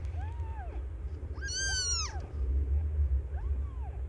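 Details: During the birth of five kittens to Aimee, a cat not yet a year old, three bowed meows sound, the middle one loud and bright, the outer two softer, above a deep rumbling hum.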